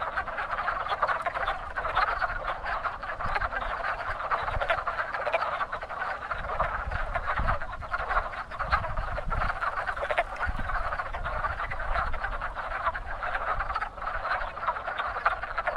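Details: Dense wood frog chorus from a very active spring breeding pond, overlapping raspy clucking croaks throughout, with occasional soft low thumps and rumbles beneath.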